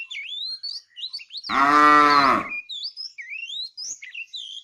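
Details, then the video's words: Tame fat cow in a herded afternoon group, calling the female with a single loud, drawn-out moo lasting about a second, surrounded by frequent high chirping birdsong before and after. "The funny sound of a fat cow calling the female"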